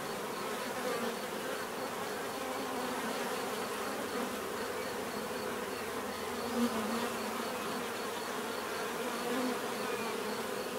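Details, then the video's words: A swarm of bees hums continuously, a thick layered drone with occasional louder passes of single insects near the recorder and a faint repeating high tick in the background. "bees therapy relaxing natural buzzing sound"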